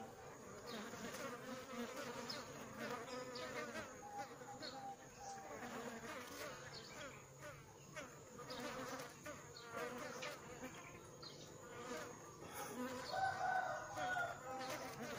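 Many bees buzz together in a dense, steady drone with shifting humming tones.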